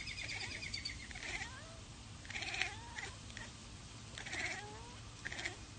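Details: Domestic cat chattering while watching a bird or insect it cannot get to: quick bursts of harsh, clicking chirps about every second, with faint rising squeaks between them over low background noise.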